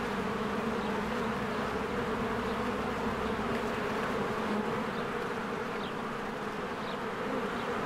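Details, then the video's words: Swarms of honeybees flying in and out of their hive in spring as flowers bloom; a dense, steady droning hum with layered low tones, and a few faint high bird chirps over it. "1 Hour of a Beehive ASMR"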